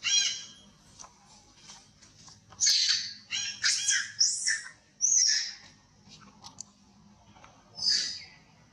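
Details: Elderly injured monkey wailing with shrill, piercing screams that rise in short bursts, separated by quiet gaps and a faint low background hum.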